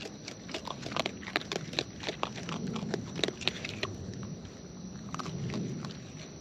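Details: Wild raccoons eating close up, recorded for natural ASMR: a steady stream of crunchy, clicking bites and wet chewing, irregular snaps bunched between one and four seconds, over a soft low rumble.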